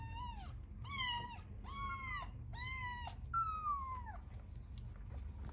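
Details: Newborn kittens playing with their mother and meowing for milk: five clear, high, harmonic meows, each about half a second, the first four evenly spaced about a second apart, the last a longer falling wail, over low room rumble.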